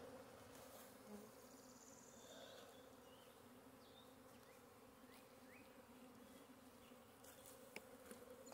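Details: A dense, steady drone of many western honey bees buzzing in the air near a hive as a colony swarms, on Wednesday, 13 April 2022, in scrub oak woodland; possibly the previous day's swarm returning.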